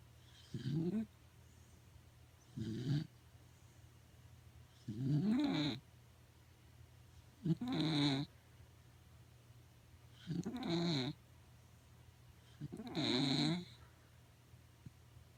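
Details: Corgi sound asleep at home, snoring loudly in regular rough low bursts roughly every two to three seconds, each snore wavering in pitch with a breathy hiss on top; nothing else heard.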